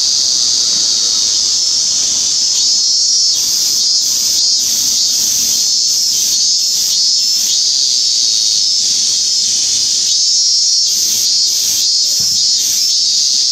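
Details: Minmin cicada (Hyalessa maculaticollis), 17 August 2016: a loud, constant buzzing drone carrying two runs of rapid, regularly repeated pulses, one early and one late.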